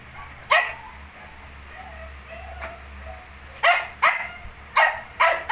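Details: Shih Tzu with 19-day-old puppies: short sharp barks, one near the start and a fainter one midway, then four loud barks in quick, uneven succession over the last two seconds; quiet room hum underneath.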